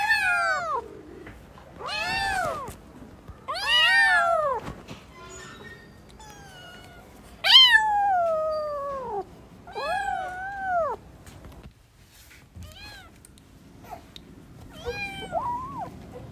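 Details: A family of newborn kittens at play gives a run of about eight loud, arched meows, some short and some drawn out, with a quiet stretch near the end.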